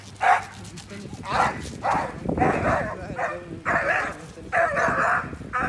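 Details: An Australian shepherd barks repeatedly, about six loud, harsh barks spaced roughly a second apart, some doubled into quick pairs, over a low rumbling background and a faint hum.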